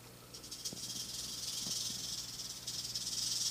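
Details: Captive-born female western diamondback rattlesnake, about three years old, three to three and a half feet long and fairly tame, curious near the window; a dry, hissing high buzz of rattling runs throughout over a steady low hum.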